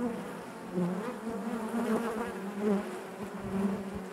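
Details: Honey bee colony heard within the hive: an unbroken, busy drone of many wings, gently wavering in pitch, with small flickers of louder buzzing from nearby bees throughout.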